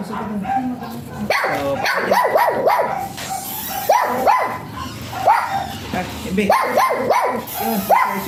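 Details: Jinbie, a small-type Pomeranian, lets out sharp, high-pitched yapping barks in quick bursts of three or four, separated by short pauses, with a person talking and faint music underneath.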